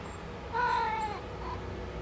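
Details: Kitten named Deru, a rescued cat in a multi-cat home, meowing while working at using the litter box; one clear rising-then-falling meow lasting about half a second, followed by a faint short second note.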